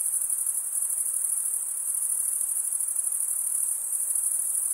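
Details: Continuous cricket chirping made by wing stridulation, a bright, sharp buzzing trill sitting very high and steady, its fine rapid pulses never pausing, over a faint low hiss.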